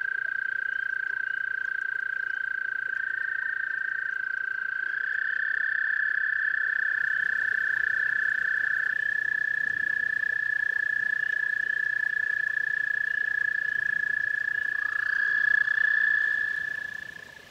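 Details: Toads at a pond give sustained, even trills that run almost without pause. A second toad's trill starts in and overlaps near the end, then the sound fades out.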